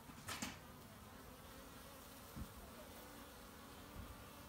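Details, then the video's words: Kept honey bees collecting pollen on March 18, 2018: a faint, steady low hum of many wings runs throughout, broken by a few brief broadband knocks near the start and midway. "my honey bees collecting pollen"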